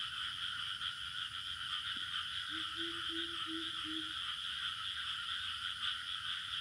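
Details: In a village soundscape, crickets keep up a steady, shrill trilling chorus, with a brief run of low frog-like notes partway through.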